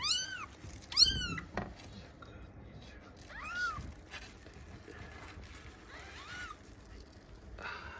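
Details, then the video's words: Newborn kitten from a litter of five at its day-four weight check indoors, giving clear high-pitched mews: a quick pair at the start, then single drawn-out mews spaced a couple of seconds apart, with faint rustling. "赤ちゃん子猫の4日目の体重測定。 Baby kitten weight measurement"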